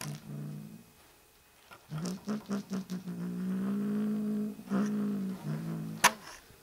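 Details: Possessive kitten Griff indoors: a low, steady, rumbling tone held for several seconds after a run of short pulsed bursts, ending in a brief sharp click.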